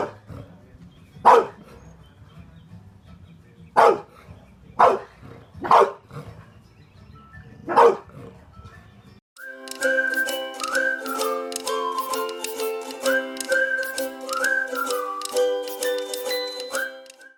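An American Bulldog gives five deep, hoarse single barks at uneven intervals, followed by music.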